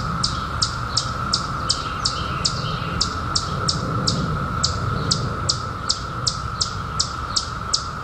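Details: Periodical cicadas from the 2021 emergence, out after 17 years underground, in summer: a steady, even buzzing drone holds throughout, overlaid by sharp high chirps repeating roughly three times per second from another caller.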